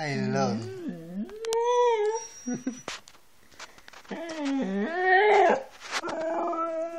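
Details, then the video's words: Siberian Husky mixing wavering yodel-like calls and a short held howl with clicks and a person's voice, the dog's calls bending up and down in pitch. "Howling and talking Kanu, Siberian Husky"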